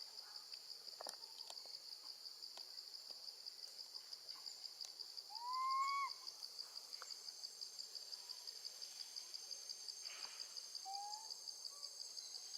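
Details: A baby female monkey calls loudly for her mom while left with her grandma. One clear arched wailing cry, then a fainter short one, over continuous shrill insect chirping.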